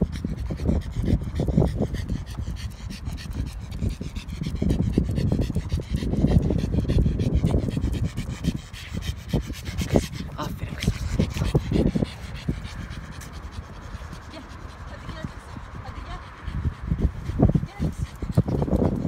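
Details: Pug dog panting and snuffling heavily for about twenty seconds, loud rapid breaths with rubbing and handling noises close up.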